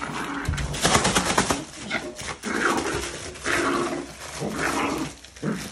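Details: Yorkshire terrier acting as a guard dog while attacking packages, indoors: a run of harsh, noisy barking and snarling bursts in quick succession, then longer growled stretches, with household noise around.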